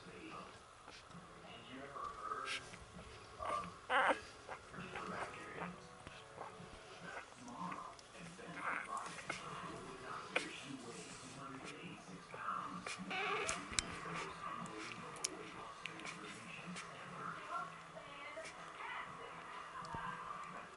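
Week-old Cocker Spaniel puppies give thin, high squeaks and whimpers, with faint human speech nearby.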